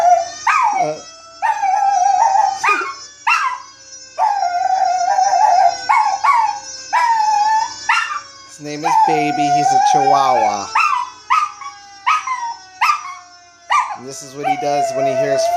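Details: Chihuahua named Baby, a household pet, howling at fire engine siren sound effects. A rapid run of short, clipped howling yelps repeats about once a second, with a longer, wobbling howl midway, alongside music and a person talking.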